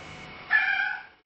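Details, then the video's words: Ten-month-old male kitten meowing at feeding time, as it always does when hungry: a single short, bright meow of under a second over faint room noise. "Meowing & Me-Yawning Kitten"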